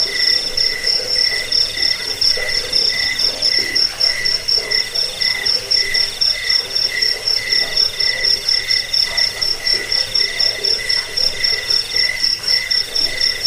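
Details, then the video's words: Crickets used as a rat repeller, sleep aid and bird-training tutor; dense, shrill pulsed chirping at several pitches continues without pause, rhythmic and evenly spaced, with no other clear sounds. "Suara jangkik pengusir tikus pengantar tidur"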